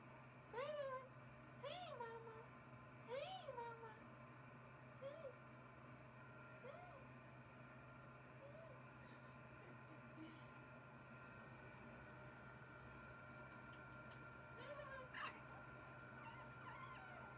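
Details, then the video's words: Puppy howling: short, wavering, rising-then-falling howls, several close together in the first four seconds, then sparser and fainter ones, with one more near fifteen seconds, over a steady low electrical hum. "PUPPY HOWLING"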